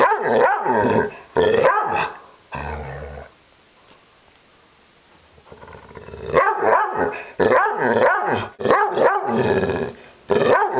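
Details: Upset pet dog Maggie gives rough, groaning growls that rise and fall in pitch, a couple of bouts, a lull of near quiet, then a longer run of repeated throaty growl-howls.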